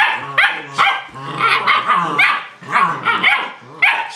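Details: German Shepherd puppies rough-housing at play: a dense tangle of high yips, short barks and low rumbling growls, overlapping in quick bursts with no pauses.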